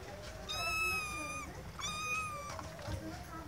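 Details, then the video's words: A kitten seeking its owner's attention gives two long, level, high meows about a second apart, with a soft low rumble and room noise beneath. "Little Kittens Meowing"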